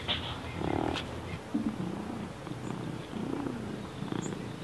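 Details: Awake snoring of Baby, a deaf house cat whose neurological and breathing problems make her sound like a pig: soft, raspy, irregular breathy snorts with a few brief grunting tones, and faint chirps behind.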